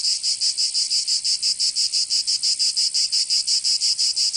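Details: Cicadas singing in summer in Provence, southern France: a loud, high, buzzy drone beating in steady pulses about three times a second, with no other sounds.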